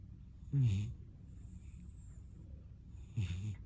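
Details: A snoring puppy asleep: two short, low, grating snorts three seconds apart, the second weaker, over faint background hiss.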